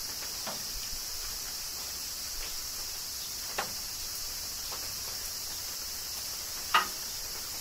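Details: Cicadas singing during summer rain in Kyoto, Japan: a steady, dense high-pitched buzzing drone that never breaks, with scattered sharp raindrop ticks and a louder drip near the end.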